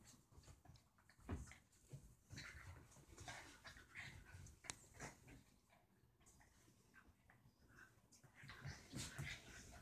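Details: Indoor play between two pet dogs, the deer-head chihuahua Roxie trying to get the Dorkie Reese to join in: brief whiny yelps and soft whimpers recur irregularly over panting, rustling and sharp knocks.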